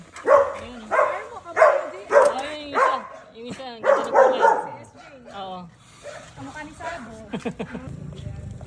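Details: Pet Belgian Malinois named Luna and Dax make repeated excited yelping cries, roughly one every half second for several seconds, then fading whines, over people's voices and laughter in a home.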